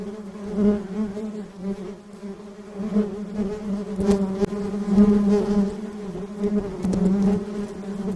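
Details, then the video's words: Many honey bees give a dense, even drone, a deep buzzing hum with rich overtones that grows a little louder midway, with occasional soft clicks. "buzzing sound of bees"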